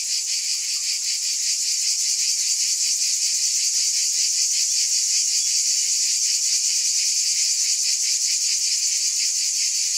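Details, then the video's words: Cicadas in a steady, dense high buzz that never pauses, with a fast shimmering pulse running through it and an even loudness throughout; no other sounds are heard. "Scintillating Cicadas"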